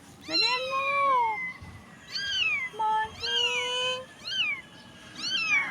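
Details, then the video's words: Stray street kitten in need of help, crying: long drawn-out meows, the first sliding down slowly, followed by shorter arched cries at about one-second gaps, little else heard. "POOR CAT CRYING DIRTY STREET STRAY WANTED HELP CAT SAD STORY"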